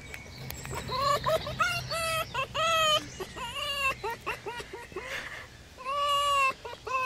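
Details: Fox giving a run of high, whining, wavering cries, each held about half a second and sliding up or down, repeated in quick bursts with short gaps, some rising to a longer drawn-out whine; faint hum beneath.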